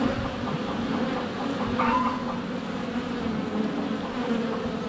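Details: Swarm of honey bees flying close to their hive entrance on a sunny February day, recorded by a GoPro Hero 7 Black: continuous low buzzing hum, wavering pitch, with a short faint chirp around two seconds.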